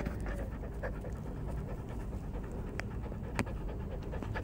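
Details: Beagle puppy, three months old, panting steadily; soft, breathy, continuous rasping with faint clicks throughout, no barks.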